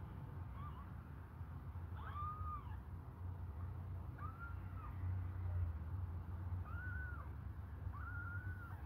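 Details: Hungry kittens suckling on a finger give five short, arched, mewing cries, each rising then falling, spaced roughly every one and a half to two seconds over a steady low rumble indoors.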